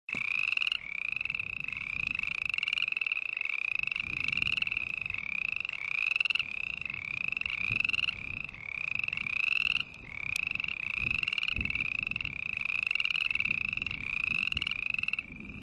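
A frog calls in a steady string of nasal, slightly rising notes, almost two each second.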